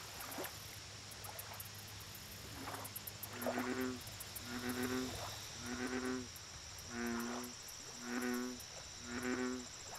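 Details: American bullfrog at a lake repeating its deep, resonant croak about seven times, roughly once a second, each a rich low drone, backed by a continuous high-pitched insect whine and brisk rhythmic ticking.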